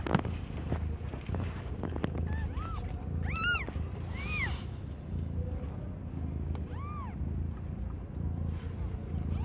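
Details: Cat Aimee, not yet one year old, giving birth to five kittens of completely different colours; a few short, high, arched mews around the middle and near the end over a steady low rumble and background noise.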